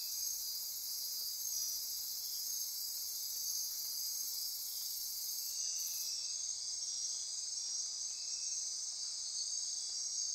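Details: Costa Rican rainforest insects at midnight near Corcovado National Park, a loud unbroken high-pitched buzzing and ratcheting chorus, briefly interrupted by a faint high click around six seconds.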